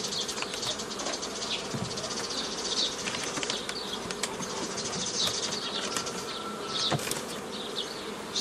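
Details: Honey bees buzzing steadily around a beekeeper forming old-style nucleus colonies from a forager swarm, 15 May 2018, with repeated clicks, rustling handling noises and a short thin whine.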